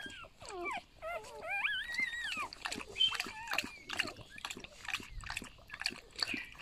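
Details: A litter of eight newborn golden retriever puppies whimpers nonstop while being held. Rising-and-falling squeals overlap in quick succession, then give way to shorter chirpy cries with rustling and handling noises.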